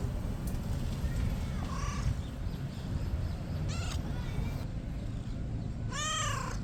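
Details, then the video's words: Kitten making funny noises while being petted: three short, soft, arched mews spaced a couple of seconds apart over a steady background hiss. "This kitten makes funny noises when i pet him..."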